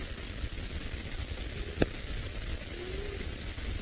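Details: Steady outdoor hiss and low rumble during an evening safari drive in the Sabi Sand near Kruger Park, South Africa, with a single sharp click and a faint brief hum; no clear animal calls.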